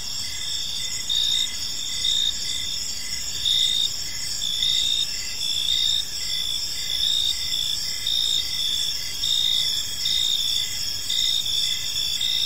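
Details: Crickets in a tranquil park at evening, their shrill sustained trill steady throughout while a pulsed chirp swells and fades about every second, with only soft low background noise beneath.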